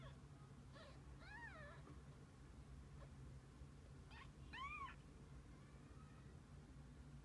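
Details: Domestic cat family, kittens together with their mother: two clear, drawn-out meows about three seconds apart, each rising and then falling in a smooth arch, with a constant low hum underneath.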